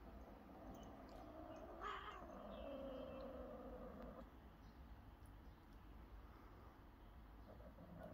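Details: Cats at play that turns to a fight: one rising then sliding wail near two seconds, drawn into a sustained nasal yowl for about two seconds, followed by quieter rumbling and hum.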